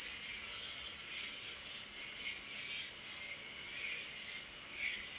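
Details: Crickets at night, chirping as a relaxing sleep sound: one unbroken, very high, buzzing trill that swells and fades in quick regular pulses, accompanied by dimmer intermittent chirps.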